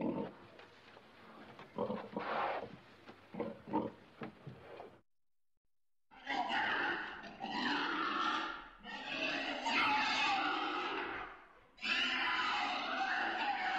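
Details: Pig giving a run of low, soft grunts, then a short silence followed by long, harsh, high squeals in several loud bursts.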